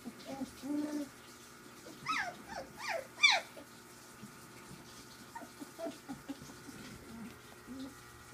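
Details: Playing puppies, three weeks old, from Ziva's litter give quick, high, descending whines in a rapid run of four or five, with softer low squeaks before and after over a quiet steady hum.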